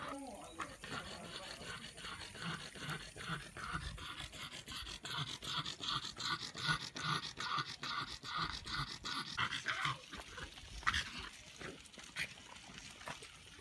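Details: French Bulldog panting after a walk on a hot day: fast, regular breathy huffs repeated more than twice a second, steady throughout, with faint background hum.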